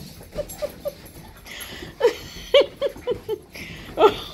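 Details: Indoors during nightly couch zoomies between a Husky and a Malamute: scattered short whimpering yips and snorts, some sharper squeaks rising and falling, with breathy huffs between them.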